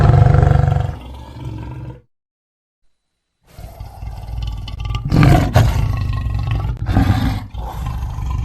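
A lion gives deep, rumbling roars with a brief silent gap between bursts.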